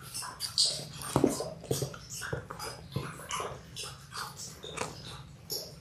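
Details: Six-week-old Labrador Retriever puppies, six in a litter born January 18, 2022, on an indoor puppy cam; soft whimpers and squeaky yelps come in irregular bursts over a steady low hum, with shuffling and mouthing noises between.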